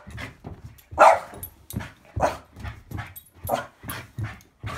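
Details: Boston Bull Terrier playing monkey in the middle with a football, giving a run of short, sharp barks and yelps, one burst roughly every half second to second, the loudest near the start, with soft breathy sounds between.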